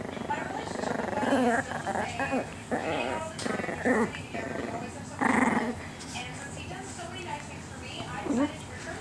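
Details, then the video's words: Chiquita, a little female pet Chihuahua, growls in bursts while playing a nightly keep-away game with her toy, daring her owner to grab it; short rough growls rise and fall between stretches of a man's coaxing voice. "Attack Chihuahua Chiquita"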